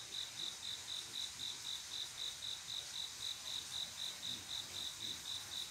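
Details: Male cricket singing to attract a female on a still summer night, its high pulsed chirps evenly spaced at roughly four per second, clean and regular against a soft background hum of distant insects.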